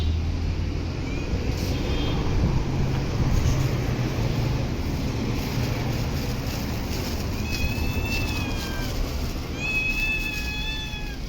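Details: Stray cats in parks and streets: a steady low traffic rumble fills the first half, then two drawn-out meows with rising-falling harmonics come near the end, the last one long and wavering.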